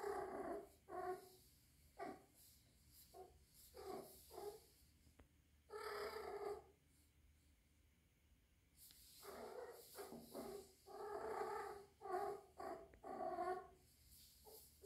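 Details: Three-month-old rescued kitten, living indoors alongside adult cats and thought to be in heat, makes a long series of short yowls and wavering moans, some bunched closely, others spaced by silence.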